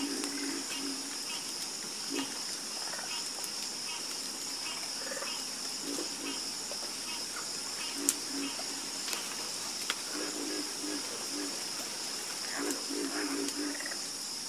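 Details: Scattered low frog croaks, some doubled or tripled, rise from a night chorus while a continuous high insect buzz fills the background.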